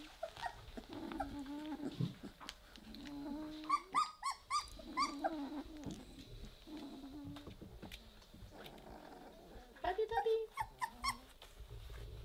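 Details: Weimaraner puppies at three weeks old play together and start growling: drawn-out low growls in the first seconds, bursts of sharp harmonic yelps near four and ten seconds, rapid repeated squeals, and scrabbling of paws.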